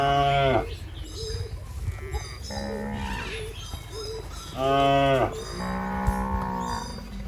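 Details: Tame cattle grazing in a rice field; a loud moo opens the recording and another returns near five seconds, while softer lowing and a busy background fill the gaps.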